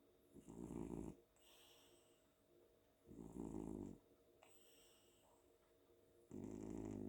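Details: Pet cat snoring while sleeping on a pillow indoors after a fun day at home: deep, rumbling snores about every three seconds, each lasting around a second, with faint high whistling breaths between them.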